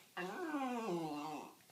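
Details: Excited pet dog 'talking' about going for ice cream lets out one long, tonal whine-howl lasting over a second. It starts higher, then glides gradually downward with a slight wavering, in a small indoor room.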